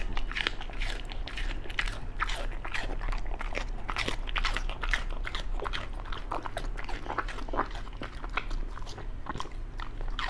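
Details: Raw-fed Beagle eating chicken, duck gizzard, pork liver and vegetables; steady rapid crunchy bites and clicks packed densely for ten seconds, close and crisp.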